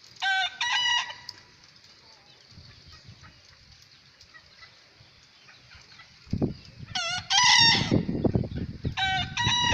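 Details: Young bekisar rooster, described as a future champion: short, harsh crows with stacked harmonic layers. One burst comes early, then a louder pair near the end. Handling knocks and thumps sit beneath, over a steady high buzzing background.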